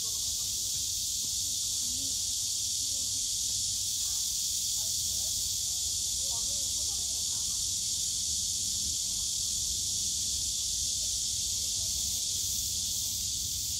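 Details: Cicadas calling in a bamboo forest at Yongsan Family Park on a summer day: relentless high buzzing chorus, with faint distant human voices in the middle and low park rumble underneath.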